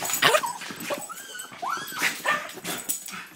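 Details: Excited terriers letting out drawn-out whining whimpers that slide upward then level off, mixed with a few sharp yips and a person's voice coaxing them.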